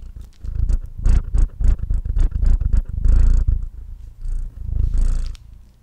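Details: A male domestic cat purring while eating indoors, captured close on a Blue Yeti microphone: a loud, deep rumbling purr pulsing about four times a second, with soft crackly chewing and licking clicks between the surges.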